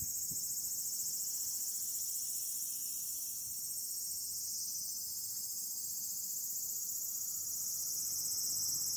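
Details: A Walker's cicada sings on an August 8 evening, just after the start of autumn by the calendar, a high, shrill, continuous buzzing that holds steady throughout.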